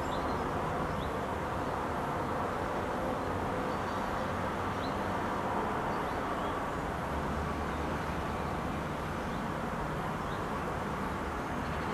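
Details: Steady low rumbling background noise, like distant traffic or machinery, with no clear animal calls.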